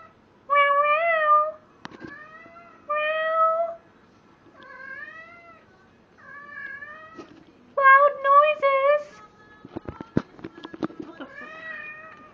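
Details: Indoors, the pet cat Jack cries out while humping a stuffed animal, giving long, loud, bending yowls in separate bursts of about a second, some rising at the end, with rustling clicks and short noises near the close.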